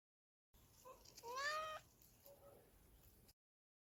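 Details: Tia, a cat, on a catnipped tree outdoors, gives one loud, rising, drawn-out meow, followed by a fainter, shorter mew a second later. A person speaks softly to her just before.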